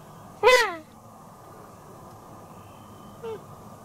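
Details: Deer calf calling to its playmate: a single loud, harmonic bleat that drops sharply in pitch, then a much fainter short call near the end, over steady low background hiss.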